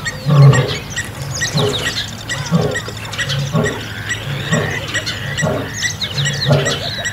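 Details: Lions fighting over territory in Kruger National Park, South Africa, an old male battling young males; deep rhythmic grunting roars repeat roughly once a second in low bursts, with birds chirping throughout the bush.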